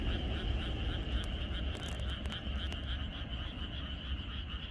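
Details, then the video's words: Frogs chorusing in the countryside on the night before rain: dense, overlapping pulsed croaks form a steady ringing trill, backed by a strong low rumble and a few brief clicks. "이것이 자연의 소리 ~개구리들의 합창"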